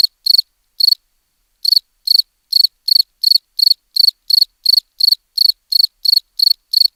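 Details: A cricket chirps in brief high trilled bursts, starting with a few irregular chirps and gaps, then settling into a steady run of about three chirps each second, with nothing else audible.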